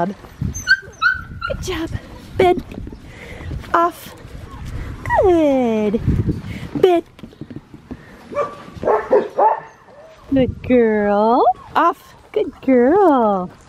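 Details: Australian Shepherd puppy, a black tri female aged six and a half weeks; high, sliding-down whines and yelps in several short bursts, mixed with a person giving commands such as "off", "bed" and "good girl".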